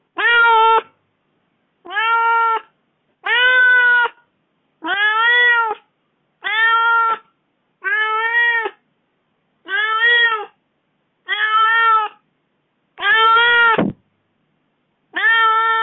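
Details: House cat protesting its owner's four-day absence; a long series of about ten insistent meows, each under a second, repeated roughly every one and a half seconds with an even, steady rhythm indoors.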